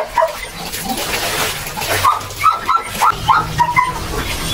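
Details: Belgian Malinois puppies during their second deworming: brief, high, whiny yelps and squeals cluster between two and four seconds, rising and falling in short bursts over steady background rustle and noise.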